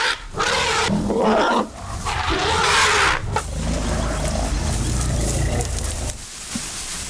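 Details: Lion in Moremi: rough, broadband roaring grunts in loud bursts over the first three seconds, easing into a lower, steadier rumbling growl with faint outdoor background.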